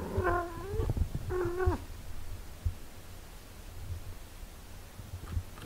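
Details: Mother cat caring for her eight-day-old kittens; two clear harmonic meows in the first two seconds, the first drawn out and slightly falling, then quieter rustling and a low steady hum indoors.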